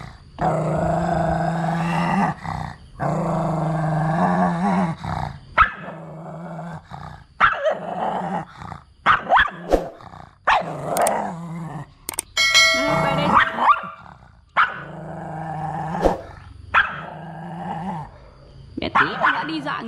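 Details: Mat, a pet Pug, angry at his new friend and refusing to cooperate: long, deep, sustained growls of about two seconds each, then shorter rough growls and yelps, with people speaking Vietnamese between them.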